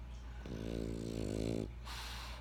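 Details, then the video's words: Single snore from a French Bulldog named Benjamin: one buzzing, vibrating inhalation of about a second, then a breathy exhale, with a faint steady hum underneath. "French Bulldog Snoring"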